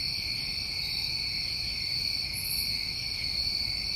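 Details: Constant shrill trilling from many New England summertime crickets, layered at several pitches, with one faint high buzz midway through.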